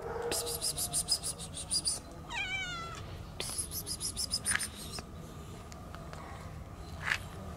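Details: Stray kitten following a man outdoors, meowing for help and food; a high harmonic meow around 2.3 to 3 seconds, with rapid psst-like hissing bursts before and after, a few short squeaks later over steady low background rumble.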